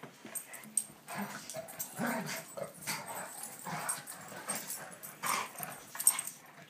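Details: Sandy and Dottie, a big dog and a little dog, at play; low throaty growls and grumbles rise and fall irregularly, broken by a sharp bark-like burst near the end, over scuffling.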